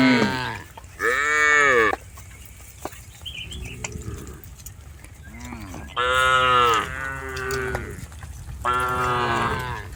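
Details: Tame cattle being herded in a rice field on a farm, lowing repeatedly: five moos, each about a second long, some loud and one softer and lower, spaced a couple of seconds apart.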